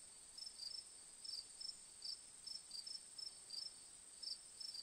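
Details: Crickets on a relaxing moonlit nature track: short, bright, high chirps in loose clusters of two or three, repeating about every half second to second over a steady, very high continuous hiss.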